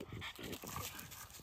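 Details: American Pitbull Terrier and French Bulldog puppies playing at sundown give short, rough panting huffs and low grunting bursts in quick succession, with a man's voice calling out nearby and steady high-pitched hiss in the background.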